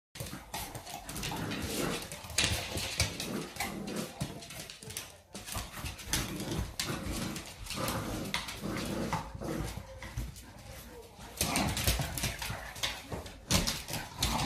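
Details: A Staffordshire Bull Terrier puppy playing tug of war makes rough, broken growls and small whines in quick, uneven bursts.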